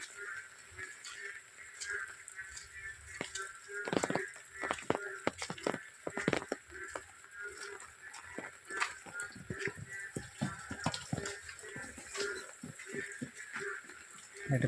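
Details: Many Indian bullfrogs croak in daytime from a ditch-like pond near a house during rain, inflating their throats to call; their short, harsh calls overlap in a busy chorus, pausing when people's voices are heard.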